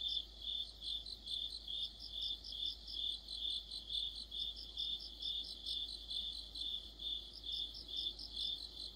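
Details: Crickets and other insects in an autumn chorus. A high, steady chirping pulses about twice a second, with a second, even higher caller adding quick bursts of beaded pulses over it.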